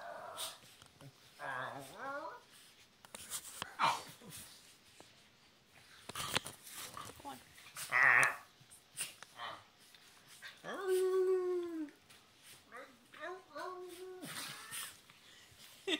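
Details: Two Chinese Crested dogs, Mr. Belvedere with more hair and hairless Sprocket, howl indoors along with a man. Their drawn-out, wavering tones slide and bend in several bouts, mixed with human voices and talking.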